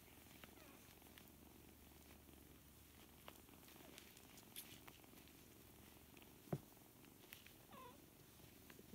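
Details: Low, even purring from a litter of seven four-week-old kittens at play with one another, with light tapping and a sharp knock partway through.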